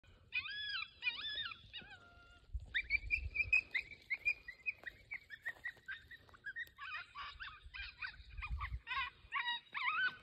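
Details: Coyote pup in distress: a sequence of high, wavering whines and yelps with rich harmonics, rising and falling, in rapid bursts with short gaps, plus low rumbling thumps near the start and middle.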